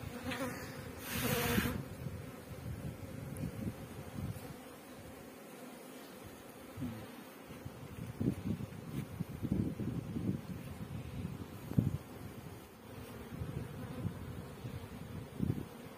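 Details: Many honey bees droning at a beekeeping farm in Pakistan: continuous low, even buzzing with swelling pulses, plus a short burst of rustling handling noise near the start.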